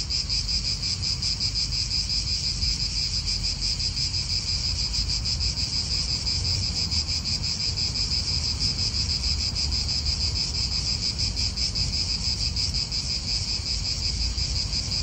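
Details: Cicadas in an Italian park: a dense, steady high-pitched buzz with a fine rapid pulse holds throughout without pause, over a soft low rumble of wind.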